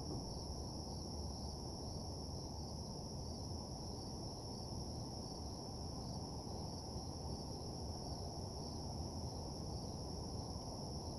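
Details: A steady high cricket trill at night with faint rhythmic pulsing in the upper band, accompanied throughout by a dull low droning rumble of parking lot ambience.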